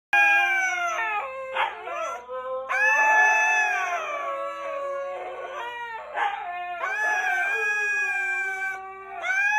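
Siberian huskies howl together in long, wavering, overlapping tones that rise and fall.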